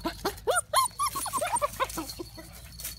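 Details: Litter of Thai Ridgeback pups giving rapid squeaky yelps and whimpers, several per second, each note bending up then down, tapering off after about two seconds; faint low rumble beneath.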